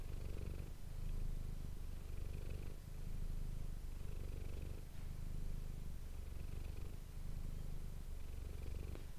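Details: Manis the domestic cat purring steadily against an ASMR microphone. The deep buzzing rumble comes in repeated breath-length surges with brief dips between them, lasting the whole stretch without other noise.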